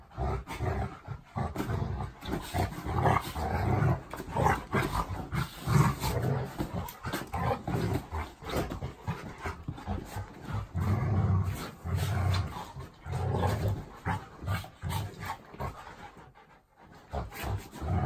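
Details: Golden Retriever and Labrador Retriever, two pet dogs, fighting each other: a long run of deep rumbling growls and snarls, dense and continuous with choppy bursts, briefly easing near the end before rising again.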